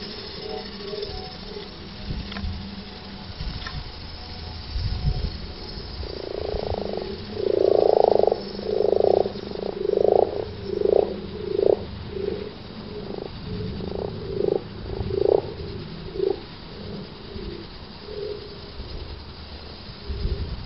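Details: Common frogs in March 2010 at the Offshoots permaculture site, Towneley Park, Burnley, Lancashire: low purring croaks pulse in a dense run of about a dozen bursts, rising to a loud middle stretch then fading, over steady background hum.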